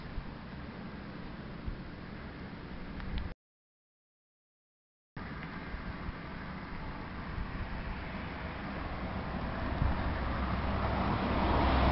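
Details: Broadband outdoor traffic rumble, cut by a short silent gap and then growing louder toward the end, with no barking or other animal sound.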